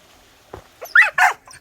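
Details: Jindo dog kept in a vinyl-covered kennel at a traditional hanok house in Yeongcheon, North Gyeongsang, South Korea, during freezing cold weather; a faint yip followed by two short, sharp barks close together, with a man talking nearby.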